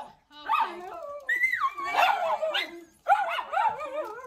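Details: Seven pet schnauzers excitedly yelping and barking as they are let out of their crates to go outside, high wavering yips and whining barks in three overlapping bursts, a woman's voice mixed in.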